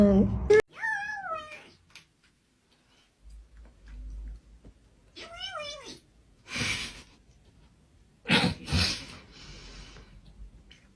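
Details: Domestic cat meowing in a funny cat sounds compilation: a wavering, warbling meow rising and falling, then a second quavering meow a few seconds later, followed by bursts of noisy hissing or broadband sound; speech also present.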